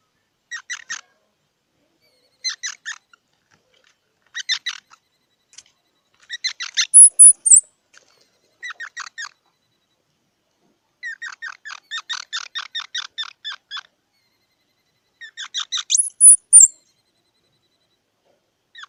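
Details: Squirrel calling in bursts of rapid, clicking chirps, each train lasting about half a second and repeated every two seconds or so, with a longer run near the middle and two brief high thin whistles; no other sounds.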